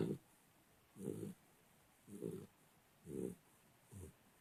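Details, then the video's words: A sleeping 3-month-old pit bull puppy snoring softly, five low, breathy rasping snores about one second apart, each short and muffled, in a quiet room. "the pitbull snoring"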